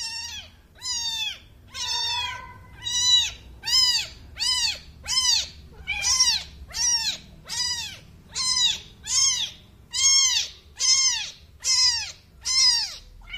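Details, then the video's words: Newborn kitten giving high, thin meows, each an arched rising-then-falling cry, repeated roughly every second with steady rhythm; faint low background hum. "new born kitten 🐾 reaction"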